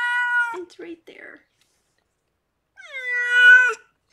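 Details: Harlequin, a rescued pregnant foster cat giving birth to six kittens indoors, utters a short meow, then a human voice speaks; after a pause she gives a louder, sustained, slightly falling meow.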